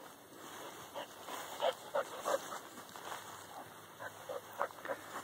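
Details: Dog named Corky behind a fence as a whitetail doe with twin fawns challenges it; irregular short barks in small groups of two or three, with brief gaps, over a constant high-pitched hum.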